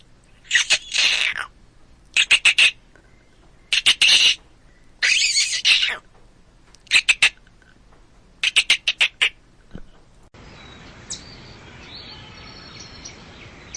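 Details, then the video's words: Chipmunk calling in repeated clusters of quick, high chipping notes, some drawn out, then the calling stops and a steady hiss with faint squeaks follows. "chipmunk sounds to make them come to you"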